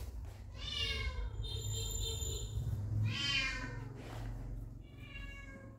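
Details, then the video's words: Puppies meeting their father for the first time give high, harmonic, meow-like whines, three separate cries at about one, three and five seconds, over a steady low indoor rumble. "The Reaction Of Puppies Meeting Their Dad For The First Time"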